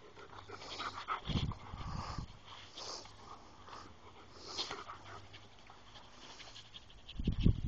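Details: Panting from a home pack of dogs, including German Shepherds and a Pembroke Welsh Corgi, filmed January 21, 2011: rapid huffing breaths, louder around the first two seconds, ending with a heavy thump nearby.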